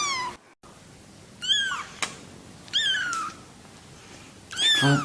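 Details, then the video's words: Cats and kittens meowing: several drawn-out meows, some sliding downward, spaced about a second apart, with a brief click and a short break between calls in a quiet indoor setting. "Мяуканье котят,кошек, кота мяуканье Сборник HD. Kittens meowing,cats meowing Compilation HD."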